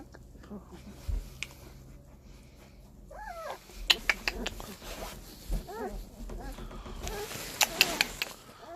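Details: Seventeen-day-old puppies make a few short, wavering squeaks that rise and fall, spaced apart amid handling clicks and rustles, while a woman speaks gently close by.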